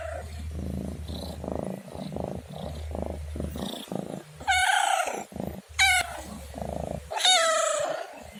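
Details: Domestic cat giving three loud harmonic meows near the end, each sharp and short with a slight falling tail, after several seconds of low rhythmic rumbling, purr-like sound.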